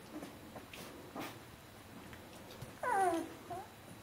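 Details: Fourteen-day-old Bernese Mountain Dog puppy from Jeanie and Captain's B litter gives one short whine sliding downward near the end, after quiet shuffling and rustling.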